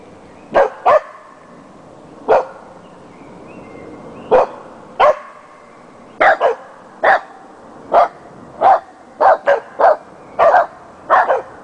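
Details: Three Dandie Dinmont Terriers barking indoors after a person asks what is there; short sharp barks come singly and in quick pairs and triplets, about fifteen in total, with quiet gaps between bursts.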